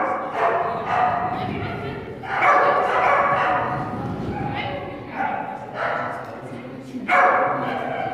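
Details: Whippet at a national agility competition in Zaķumuiža, Latvia, on 30 January 2016, running an A3 Agility course that ended in disqualification; several sharp, sudden barks ring out every second or two, mixed with a person's loud voice in an echoing hall.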